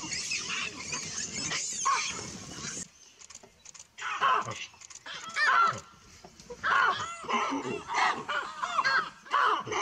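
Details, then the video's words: Baboon troop reacting to an approaching buffalo. Loud bursts of shrill, arching screams and squeals come in separate waves about every two seconds, with quieter gaps between them. "Amazing baboon sound when buffalo arrives"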